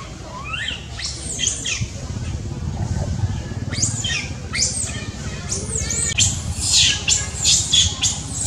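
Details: A baby monkey calls loudly for its mother: high, sweeping screams arrive in irregular clusters, some rising, some falling, over a steady low hum.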